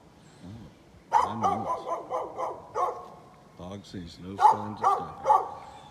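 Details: A neighbor's dog recorded on 11-13-2020 barking in two bursts of rapid, repeated barks, with low human voices talking through and between the barking.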